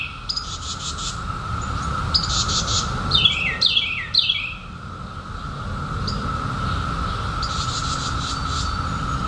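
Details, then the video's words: A constant mid-pitched buzz from periodical cicadas, out in 2021 after a 17-year hiding, runs through the whole stretch, overlaid by scattered bird chirps, short swooping calls and faint cricket-like pulses. "SOUND OF CICADAS 2021"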